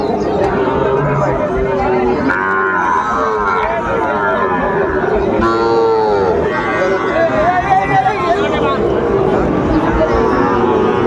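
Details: At a Chittagong cattle market in Bangladesh on 16 September 2024, where Sahiwal bull calves are sold, overlapping bellowing moos, some rising and sliding, sound over constant crowd voices.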